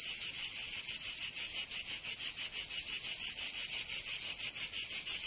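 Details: Summer cicada chorus from Provence in the south of France, a shrill metallic drone chopped into rapid regular pulses, roughly five each second, filling the whole recording without other noises.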